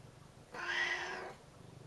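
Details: Cat calling to have the door opened, showing curiosity: one clear, drawn-out meow of under a second, rich in harmonics and slightly rising then falling, over low steady hum.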